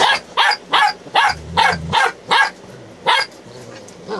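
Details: Eight-week-old Belgian Malinois Shepherd puppies, born September 2018, filmed in Williston, Florida, on 22 November 2018; sharp, high puppy barks repeated about twice per second, nine in quick succession, over a faint low hum.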